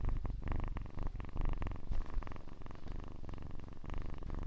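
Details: Kitten's purr captured close for ASMR, a dense low pulsed rumble running unbroken, with slight rhythmic rises and falls as the kitten breathes.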